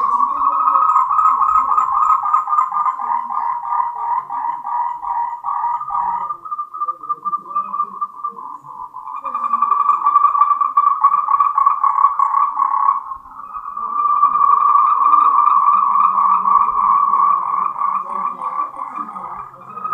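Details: Moltrecht's green tree frog, endemic to Taiwan, in a mating chorus. Its rapid pulsed trills run on and on, with brief lulls around nine and thirteen seconds before the calling swells again.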